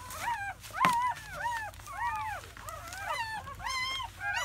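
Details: Newborn German Shepherd puppies, part of a litter of four males and three females born May 7–8, 2017, squealing in quick arched whimpers about every half second. Several pups overlap, and there is one short thump.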